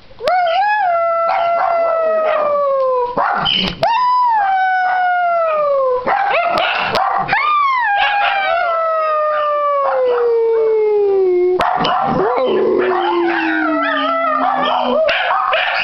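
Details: Dachshunds Missy and Celt in a group howl session, started by Missy as the kids got ready for a walk; long sustained howls gliding slowly downward, overlapping voices with yips, Christmas music from the TV faintly behind.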